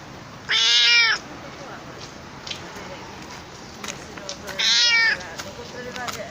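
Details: A talkative stray cat gives two loud, drawn-out meows about four seconds apart, with faint clicks and quiet outdoor hiss in between.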